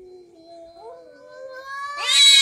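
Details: Orange domestic cat squabbling with a second cat, sounding menacing: a low moaning wail that wavers and climbs in pitch, then breaks into a loud, harsh screech at the end.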